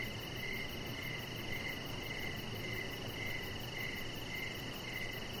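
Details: Several crickets chirping outdoors in the evening beside a deck: rhythmic short chirps about 100 per minute, slightly uneven, over a steady high drone and low background rumble.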